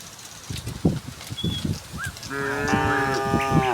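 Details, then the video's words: Tame cattle herd on its way from the next village to the pen. Shuffling, thudding footsteps and rustling at first, then one sustained, steady low moo carrying to the end, with a faint bird note. "suara sapi moo"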